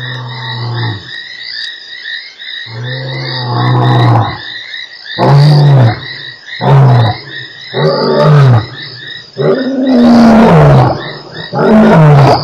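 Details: Lion at Nkorho on 3 March 2008, a series of deep roars: long low moans that shorten into rapid grunting, falling bursts, loud and repeated, over a steady chorus of high pulsing insects throughout.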